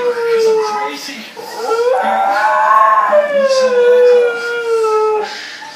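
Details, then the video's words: Siberian Husky in a small room giving a sustained mournful howl that swells upward then slowly falls and fades, preceded by a shorter descending howl, with a person speaking faintly. "Siberian Husky Howling"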